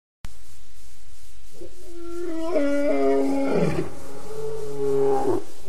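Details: Wild lions at the Djuma Waterhole on an August 11, 2016 evening: after a brief quiet start, deep steady tonal moaning with layered harmonics builds and swells, holding low and level before easing off near the end.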